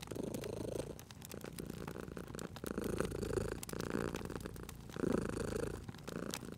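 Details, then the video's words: Purring of a cute sleeping cat beside a crackling fireplace in a cozy setting: low rumbling purr in rhythmic swells about once a second, each breath cycle rising and fading, with sharp crackles and pops of the fire throughout. "Cute Purring Cat at a Crackling Fireplace"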